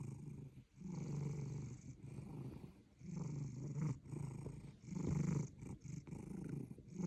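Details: Sleeping cat snoring heavily, long low rumbling breaths lasting about a second each, separated by short quiet gaps, steady and throaty throughout.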